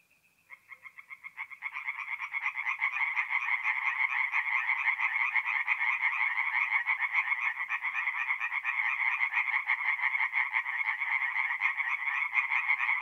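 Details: Singing tree frogs by night at a forest pond in North-East Italy, mid-April: a lone thin note opens, then quick croaks build into a loud, dense, rattling chorus that continues unbroken.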